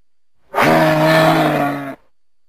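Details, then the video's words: A moose gives a single steady, buzzy, low moan lasting about a second and a half, starting and stopping abruptly. "Moose sound"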